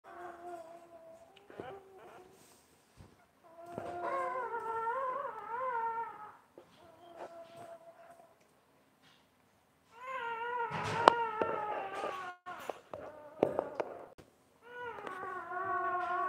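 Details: Basset Hound mother tending her newborn puppies indoors; drawn-out, high whining cries in several bouts of one to two seconds, rising and falling, with short pauses and soft thumps between.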